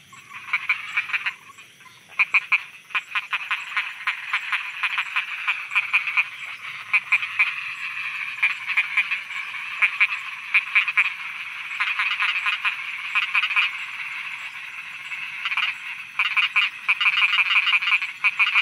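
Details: Night frog chorus from Thailand, many frogs croaking together in a continuous, throbbing stream of quick pulsed rattles that builds after a quieter opening and stays busy throughout, with a faint high steady hum behind.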